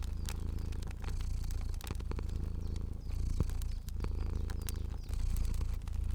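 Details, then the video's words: Low, buzzy purring of a sleeping fluffy cat, steady with brief dips between breaths, while a fire crackles and pops in the background. "Cozy Purring Cat & Crackling Fire Sounds"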